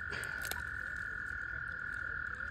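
Spring peepers calling: a steady, high, ringing tone that holds without a break, with a few brief sounds early on.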